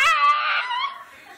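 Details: Dog Miki answering back indoors with a single bright, harmonic yowl that wavers and then fades away, in a small room where the owner keeps asking it to talk.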